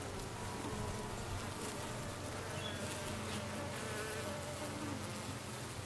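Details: Honey bees near a newly arrived dark queen, 6/5/13, giving a thick, noisy, unbroken buzz with a rough hiss over it.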